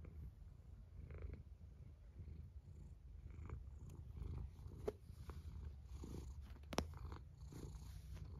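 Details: Snoring cat, a steady soft low rumble with gentle breathy swells and a few sharp clicks in the room.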